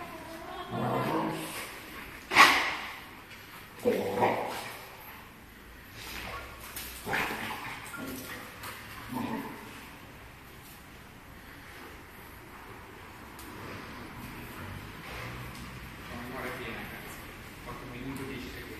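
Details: American Staffordshire Terrier named Iago giving a few short, sharp barks spaced a second or two apart early on, then quieting; brief human speech and low background noise fill the rest.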